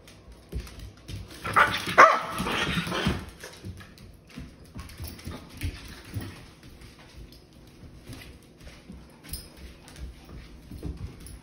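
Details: Sheprador puppy among several pet dogs playing indoors on a couch, one fixed on a string hanging from a ceiling fan while others play tug of war with a fox toy; a rough, loud bark-like burst early on, then soft scuffling and thumps.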